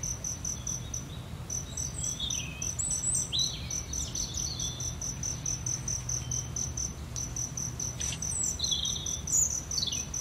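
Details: Steady high-pitched pulsing of a cricket runs under scattered bird calls and short whistles, with low background rumble.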